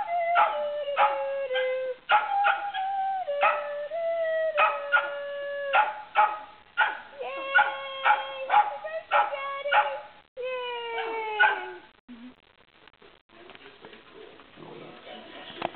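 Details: Male Coton de Tulear singing Happy Birthday with people; a rapid run of short yodelling howls and yips, many with falling pitch, about one and a half per second, then fading into quieter voices and rustling.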